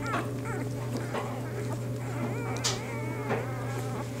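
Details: Bernese Mountain Dog pups only days old, from a litter born to their mother Bear. Several high, quavering whimpers rise and fall one after another, with faint shuffling and a constant low hum underneath.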